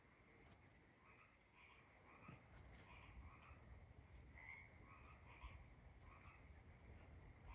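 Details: Several tree frogs calling at night: short, nasal, double-toned croaks repeated in quick, uneven bursts, callers overlapping, over a steady low rumble of background noise.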